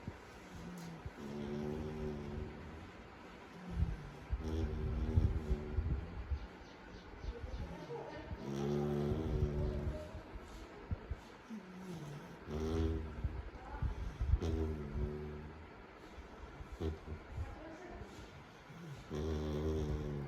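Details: Labrador puppy named Jax lying relaxed on a bed, snoring: low, buzzy harmonic snores repeating roughly every two to two and a half seconds over a steady background hum.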